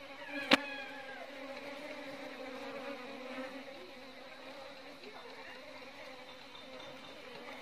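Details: Beekeeping recording of Apis cerana indica honey bees: a sharp click opens the clip, then a constant layered drone of many wings with a low hum and higher overtones that holds steady to the end.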